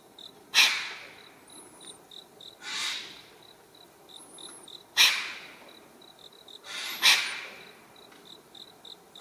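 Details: A solitary, territorial wild Japanese serow on a paved mountain road gives four sharp, hissing snorts roughly every two seconds as a threat display toward a person filming. A steady high insect trill and faint thin bird whistles sound behind it.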